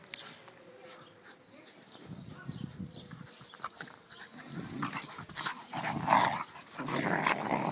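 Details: A schnauzer and a beagle wrestling in play. After two quiet seconds, rough, throaty growls and scuffling bursts build up and grow louder and denser toward the end.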